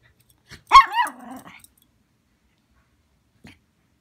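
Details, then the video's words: Female poodle throwing an angry tantrum just after waking up, indoors: a single loud, rough bark-growl lasting under a second, followed by a fading low rumble, then quiet with a faint click near the end. "Poodle throwing a tantrum"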